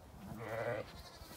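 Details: Lambs let out to play outdoors on a sunny day on a regenerative farm in County Kilkenny, Ireland; one gives a short, harmonic, wavering bleat lasting under half a second, with a faint rumble of the field behind.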